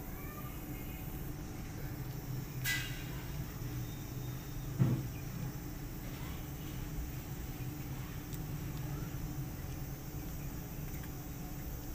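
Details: Steady low hum with a steady tone, a brief sharp rustle near three seconds and a thump near five seconds, with no animal calls.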